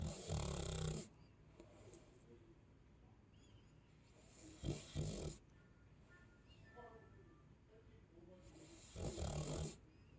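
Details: Chow Chow dog snoring while asleep: three loud, rough, low rumbling snores about four seconds apart, with quieter breathing between them.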